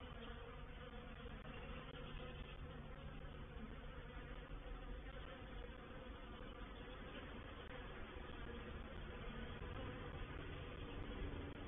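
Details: Reproductive swarm of honey bees entering a bait hive, or swarm trap, at Painted Peacock Manor, 04/07/21: a dense, continuous roaring hum of many wingbeats, even in loudness throughout, with a low rumbling undertone.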